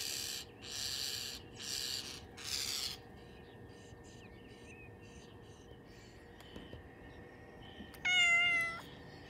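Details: A 6-month-old female Bengal cat sitting at a window, "barking" and chirping at birds, gives three harsh, breathy bursts, then a short, bright chirping meow.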